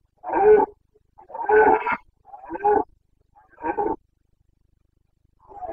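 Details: Carpathian red deer stag roaring (boncănit) during the breeding season in the forests of Bucovina, 29 September 2022: four hoarse, harmonic bellows about a second apart, each short and gruff, in a quiet background.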